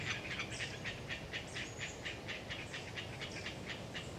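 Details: Autumn wind in Galeriç Swamp Forest, Kızılırmak Delta, Samsun, carries the chatter of Hyla orientalis tree frogs as uneven rasping pulses two per second, overlaid by sharp high-pitched bird calls and a short thin whistle.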